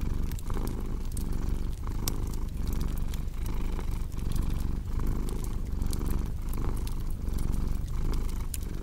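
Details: Domestic cat purring steadily in deep, low rumbling pulses that swell and fade with each breath about every 0.7 seconds, layered over the sharp pops and crackles of a cozy fireplace.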